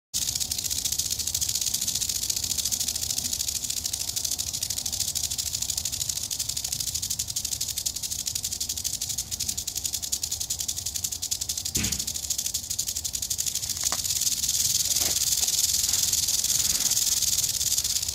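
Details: Eastern diamondback rattlesnake in Florida, approached on location, gives a continuous high buzzing rattle throughout, with a few brief knocks and thumps partway through.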